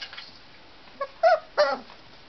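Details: Tibetan Terrier puppies from the Khjim-pa kennel, born October 23, playful 'leg-chewers': three short, high, strained yips and whines in quick succession near the middle, each with a bright harmonic stack, over an otherwise quiet room.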